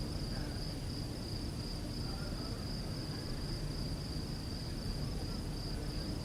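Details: Crickets singing through the night in the countryside: a steady, unbroken high-pitched trill holds level throughout, with a fainter, higher second tone above it and a constant low rumbling background.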